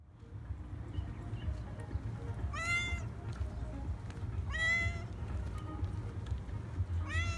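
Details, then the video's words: Affectionate calico cat running after a person along an embankment, asking for attention and food; three clear meows about two seconds apart, each a rising then falling wail, over a steady low outdoor rumble. "Calico cat followed me on the embankment and asked for attention"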